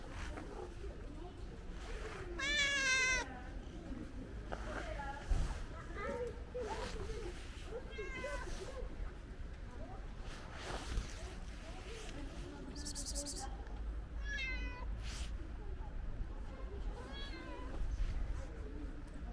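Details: Friendly ginger stray cat asking for food: a few wavering meows at intervals, the loudest early on, mixed with human speech and a steady low background hum.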